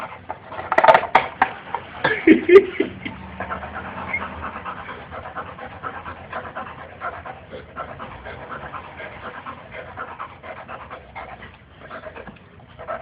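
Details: Boxer dog at play, a few loud sharp noises and a brief whine at the start, then rapid breathy panting continuing at a steady pace to the end.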